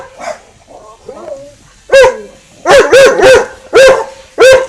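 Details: Dogs Winston and Popeye barking at each other across a garden fence; after a few soft, faint whines, a run of about seven loud, arching barks comes in quick bursts, some paired closely together, over a quiet background.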